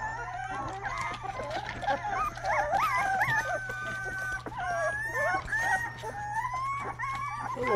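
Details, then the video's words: Rottweiler puppy trying out its first barks: high, whiny yelps that bend up and down, some drawn into short howl-like wails, coming in irregular bursts over a steady low hum. "first barks"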